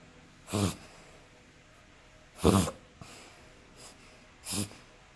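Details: Terrier with a breathing problem that happens several times a day, possibly reverse sneezing: loud, rough, breathy snorting bursts roughly every two seconds, four in five seconds, the third much fainter, over a quiet indoor background.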